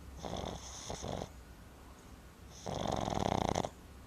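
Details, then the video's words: Sleeping Boston Terrier puppy Timber, worn out after a day at the river, gives two loud rattling snores, the first broken into short pulses, the second a longer vibrating rasp, with hushed breathing between them indoors. "Boston Terrier Puppy Snoring"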